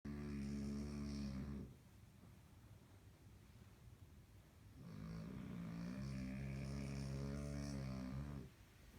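A French Bulldog puppy snores in long, rumbling, low breaths with a quiet pause between them.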